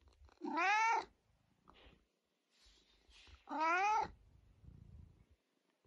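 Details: Pet cat, described as chatty and unable to stop talking, gives two loud drawn-out meows about three seconds apart, each rising then falling in pitch with a bright, nasal tone, with quiet pauses and faint rustling between.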